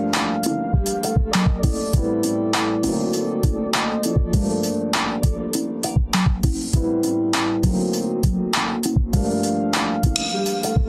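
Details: Upbeat electronic music with drum machine beats and guitar plays throughout, and no animal sounds can be heard.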